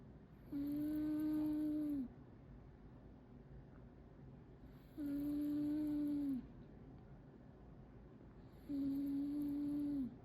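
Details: Momo, a pet cat, snoring loudly while asleep indoors: three drawn-out droning snores, each about a second and a half long, held steady then dipping at the end, returning roughly every four seconds with a quiet room between.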